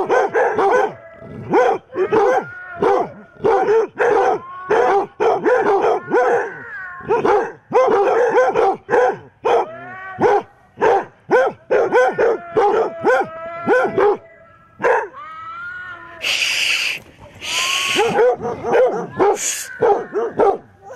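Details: Chorus of eight basset hounds confronting a mechanical Halloween cat, rapid overlapping barks and bays; near the end a loud harsh hissing burst, likely from the animated cat, twice interrupts the barking.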